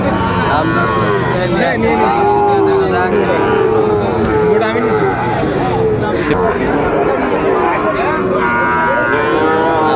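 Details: Sahiwal bull calves being traded at a Chittagong, Bangladesh market on October 24, 2025; repeated drawn-out lowing moos from several calves over steady crowd voices and busy market background.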